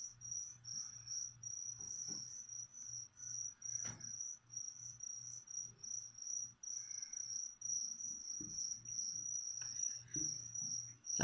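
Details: Feeder crickets beside a pet leopard gecko chirp continuously in high, rapid pulses, about two or three a second, with occasional clicks and soft handling sounds.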